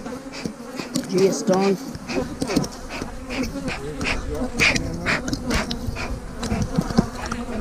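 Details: Honey bees during splitting of hives with queen cells give a low droning buzz, with a brief wavering tonal rise near the start and intermittent knocks and scrapes throughout.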